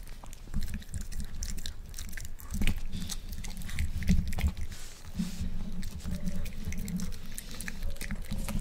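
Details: Miniature Pinscher, male, eating one boiled egg for the first time: steady run of moist chomps and lip smacks, irregular but continuous, with a few louder bites midway, close-up against a faint low hum.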